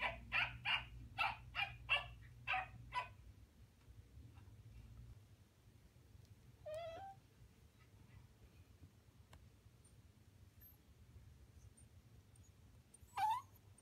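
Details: A Welsh Corgi puppy watching other dogs on YouTube gives a fast burst of about seven high, sharp yips over three seconds, then after a quiet stretch with a low hum, two brief rising whines.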